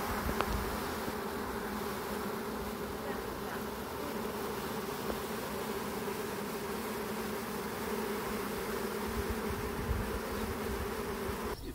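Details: Honey bee swarm being caught as the bees leave an overcrowded hive with a new queen to found a new colony; a dense, steady humming drone of many bees, unbroken for the whole stretch.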